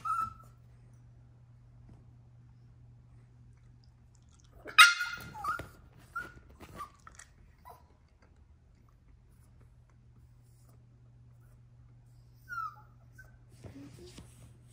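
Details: Yorkshire Terrier puppy named Troy throwing a tantrum indoors: a sharp high bark near five seconds, then short yips and whines scattered across the clip, with long quiet gaps and a steady low hum throughout.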